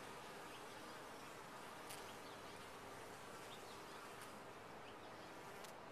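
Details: Bees inside a top-bar hive, a dense steady buzzing hum of many insects with low droning bands, broadband and unbroken throughout, with occasional faint clicks.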